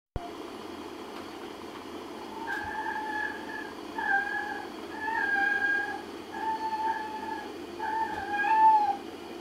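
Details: Pet Sphynx and LaPerm cats that get along together, indoors; a series of about six drawn-out, level meows, each lasting roughly half a second to a second, over a steady low background hum.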